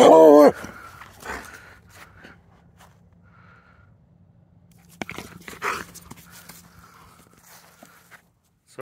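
A Treeing Walker Coonhound gives a brief, loud, rough vocal burst, followed by quiet rustling and a man's voice.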